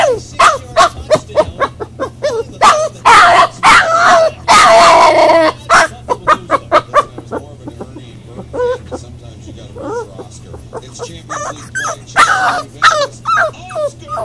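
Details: Boxer puppy crying in its crate while being crate trained, distressed at being left alone: rapid runs of short yelps, then a harsh noisy burst, followed by spaced, wavering high whines and more quick yips.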